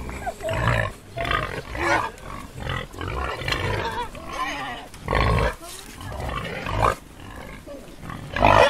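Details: Wild boar (Sus scrofa) gives harsh, shrill squeals and rough grunts in uneven bursts every few seconds.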